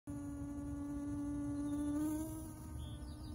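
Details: A bee-fly, the bomber fly Heterostylum robustum, drinks nectar from butterfly-bush flowers and gives a steady, low, droning buzz like a tiny vacuum cleaner.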